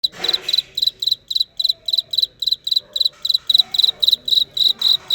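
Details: A cricket gives steady, short, shrill, high-pitched trilled chirps, about three each second, while a faint voice murmurs low in the background.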